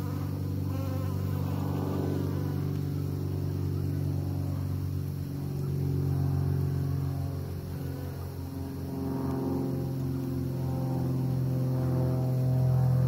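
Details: Bees at work pollinating give a steady, low droning buzz with a rich humming tone that swells and fades slightly over the thirteen seconds, over a constant low rumble.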